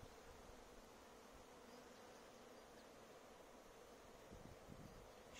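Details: Honey bees on their first March cleansing flight at a garden apiary, about 12 degrees in the shade, fly out for water and pollen near blooming crocuses, making a soft steady low hum under faint background hiss.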